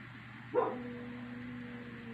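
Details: A pet dog at night gives a sudden bark-like burst that settles into a thin, sustained tone, held level and fading slowly for over a second. Quiet steady electrical hum underneath.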